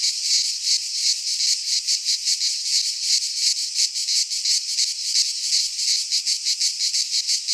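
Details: Cicadas from Greek pine woods in midsummer make an unbroken shrill buzz. It is chopped into fast, fairly even throbs of a few per second. No birds or people are heard.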